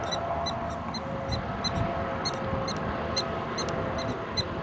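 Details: Prairie dog town in eastern Montana recorded August 21, 2007, with short, high, clipped barks coming in a fast irregular series, some closer and louder, above a constant background hiss and low rumble.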